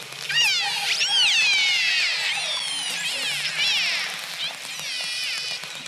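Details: Killer whale (Orcinus orca), the ocean's top predator and largest dolphin, gives high, sweeping high-frequency whistles and squealing calls that rise and fall in quick succession; the species also echolocates with clicks and buzzes.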